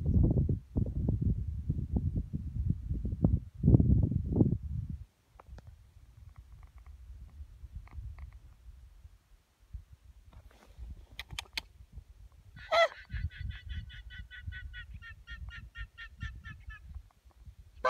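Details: Guanacos near the Draga Aurifera in Patagonia. Heavy low rumbling noise fills the first five seconds, then after a quiet stretch comes a brief, high, rapidly pulsed bleating trill with strong overtones lasting about three seconds.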